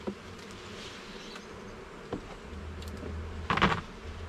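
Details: Garden beehive opened for inspection, honey bees producing a continuous buzzing drone, with brief clicks and a louder clatter of frame handling late on, and a low mechanical rumble underneath.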